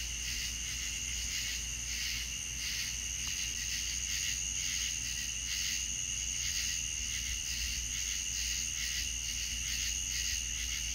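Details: Crickets chirping on a Deep South night: a dense, unbroken high chorus of shimmering, pulsing trills that holds steady throughout, with a faint low hum underneath.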